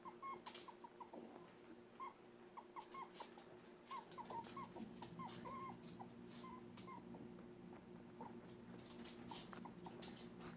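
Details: Upset pet dog named Archer giving a long run of brief, thin squeaks, each bending up or down in pitch, tumbling out irregularly for several seconds before thinning out, with a constant low hum behind.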